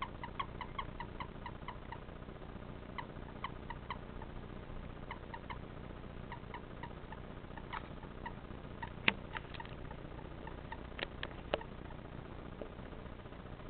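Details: A common toad held in the hand gives quick, thin croaks in short bursts, each a clipped chirp repeated rapidly. The call differs from the male mating call, and the owner suspects it serves to confuse predators.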